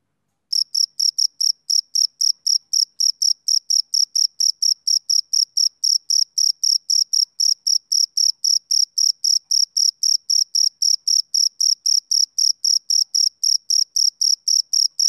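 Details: After a brief silent start, a male cricket's chirping begins and carries on steadily, a shrill high pulse repeated about four times each second, typical of summer evenings, with no other noise.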